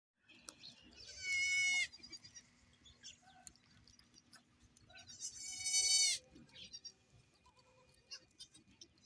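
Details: Goats on a goat farm, two loud, high, wavering bleats a few seconds apart, each about half a second long, with quieter animal noises and a steady faint hum in the background.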